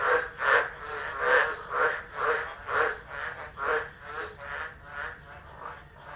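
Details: Chorus of tropical frogs singing through a tropical storm at Driver in Australia's Northern Territory, 13 December 2013, captured on a phone set down unattended; loud throbbing croaks repeating roughly twice per second, several callers overlapping.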